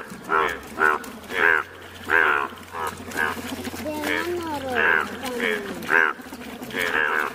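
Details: Several bright yellow Indian bullfrogs calling together: loud, nasal, moo-like croaks about every half second, with overlapping callers, a drawn-out gliding note near the middle, and a low steady hum underneath.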